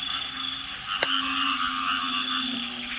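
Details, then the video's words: Night chorus of frogs and toads at a Thai field where people sleep out guarding against elephants; a dense, continuous buzzing and trilling wall of calls with one sharp click. "ฟังเสียงกบเสียงเขียดเสียงอึ่งก่อม"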